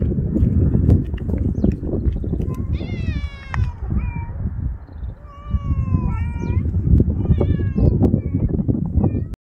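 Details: Street cat outdoors giving several drawn-out meows, each a wavering tone that rises then falls, spaced a second or two apart, over heavy low rumbling wind or handling noise.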